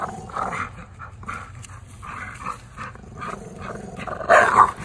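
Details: Tri-color American Bullies Gusto and Big Girl growl during an afternoon game of tug-of-war. Gruff, pulsing growls run throughout, ending in a sudden louder, sharper burst near the close.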